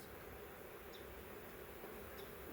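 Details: Huge swarm of honey bees in a swarm trap, a ball of bees on a frame being taken out: an even, droning buzz throughout with faint clicks of handling.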